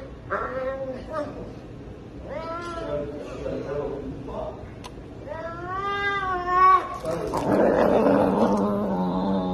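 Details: An energetic Savannah cat, described as aggressive and fond of chicken, gives drawn-out, wavering meows in short bursts while a person nearby commands it to sit, with rustling.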